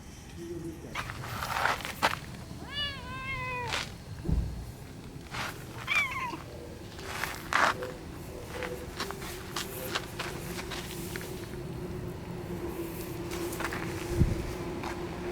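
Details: Stray cat outdoors in Japan giving a short series of rising and falling meows near the three-second mark, then a brief second call, amid thumps, rustling and a low steady background hum.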